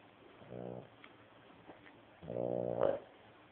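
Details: Old dog, 14 years of age, snoring loudly indoors: one moderate buzzy snore, then a louder, longer rasping snore ending in a brief sharper snort.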